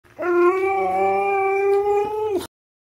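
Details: Pet Siberian husky "talking" and arguing with its owner: a single sustained, steady howl of about two seconds with rich harmonics, ending in a slight falling drop, then silence.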